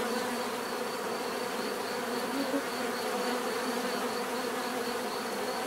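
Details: Continuous swarm drone from many bees, heard as a natural sound for sleep and relaxation; the buzz stays even and unbroken, with a thin high tone above and brief louder passes near the middle.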